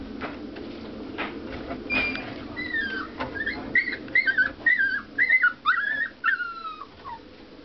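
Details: Puppy five weeks and one day old whimpering indoors: a run of high, thin, wavering whines and squeaks, several per second, getting louder toward the end, over a low background hum.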